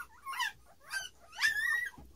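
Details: Standard Poodle puppies, nine days old, born 12 March 2018 and filmed 21 March indoors with their mother. They give three squeaky whimpers about half a second apart, the last a longer, steady, whistle-like whine.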